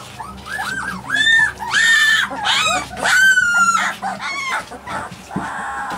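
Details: Alaskan Malamute puppies crying loudly in a chorus of high, arched whines and squeals, repeated in bursts roughly every second, some notes long and sliding, with brief gaps of quiet shuffling.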